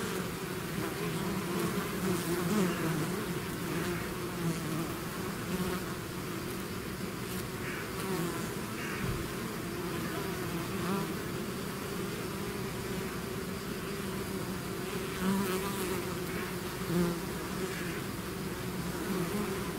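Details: Swarm of bees emerging from a hive: an unbroken buzzing hum, with single bees passing nearby now and then and briefly rising above the mass.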